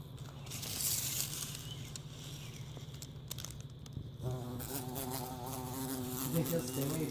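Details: Low, even hum of a bumblebee as it is being set free, faint at first, then halfway through switching to a fuller, harmonic-rich buzz that holds steady.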